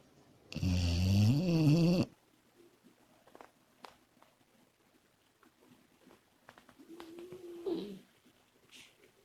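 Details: One long, loud, vibrating snore from Komachi, a sleeping female Labrador Retriever puppy, then near silence broken by a softer, whining breath toward the end.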